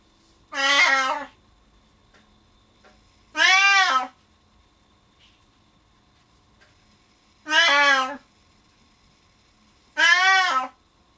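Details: A Siamese cat, left alone behind a door when its owner goes downstairs, gives loud, drawn-out meows, each under a second, spaced a few seconds apart.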